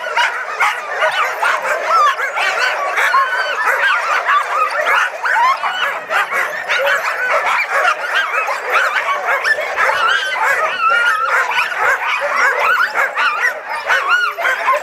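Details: Caribou Crossing sled-dog yard in full cry: many dogs yip, bark and whimper at once, a steady, crowded wall of high, bending cries that never lets up.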